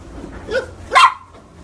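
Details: A corgi gives a single sharp, loud bark after a softer short yelp, with a quiet room behind.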